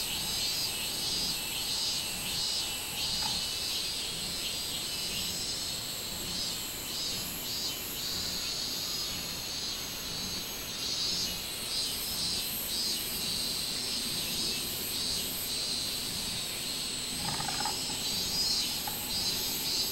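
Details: Minminzemi chorus recorded 24 July 2016: a loud, high pulsating buzz beating in quick repeated surges, with brief lower tonal notes at the start and near the end.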